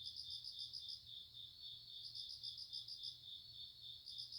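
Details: ['Grass insects in a restful setting: a continuous high-pitched shrill trill with groups of fast, bright pulsed chirps that start and stop about every two seconds, over a soft low hum.']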